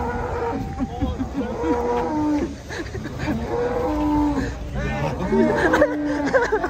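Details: Huge cow rampaging as it is led off a truck, handled by many people: repeated wavering moos and groans throughout, some rising and bending, mixed with shouting voices and low mechanical rumble.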